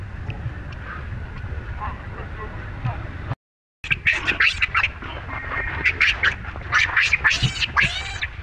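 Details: Baby monkey Rainbow, whose mother Libby keeps mistreating her, gives a burst of shrill, harmonic squeals and cries after a brief silent break, rapid and uneven, over low rumbling background noise.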